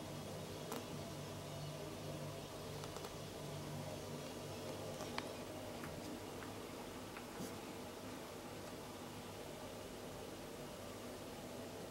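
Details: A steady low hum like a fan fills a quiet room, with only faint rustles and clicks. No animal voice stands out.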